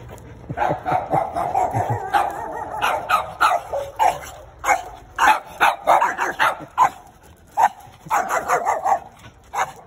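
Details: Several Chihuahuas belonging to a neighbour, loose in the street, barking at people; rapid overlapping yappy barks in quick bursts throughout.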